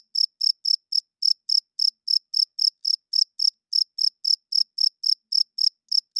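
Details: High, crisp cricket chirps at night, a male's call for attracting mates and defending territory, pulsing about four times a second with one small gap early on, on an otherwise silent background.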